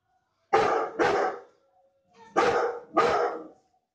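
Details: Deep, booming barks from John, a Bullmastiff kept as a guard dog in Najibabad, Uttar Pradesh, come in two quick pairs, each bark rough and full-bodied, with silence between the pairs.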